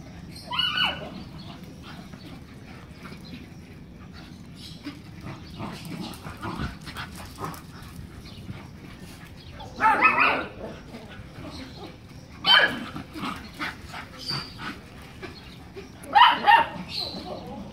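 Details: A black Miniature Schnauzer lets out short, sharp barks, one near the start and a cluster of louder ones later, several seconds apart, over a low indoor hum and faint voices.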